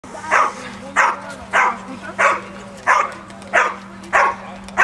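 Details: Pinscher barking in a steady series of short, sharp yaps, roughly seven in five seconds at an even pace, over a constant low electrical hum.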